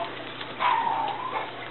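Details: Indoors on 30 November 2013, a Japanese Chin puppy of the Niko x Pixie litter is coaxed to say hi and answers with a short, thin, level whine lasting under a second, over a faint background hum.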